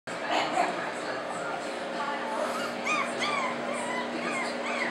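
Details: Four-week-old French Bulldog puppy giving high, thin whimpers that bend up and down in short arcs, clustered in the second half, over steady room hum and a human voice.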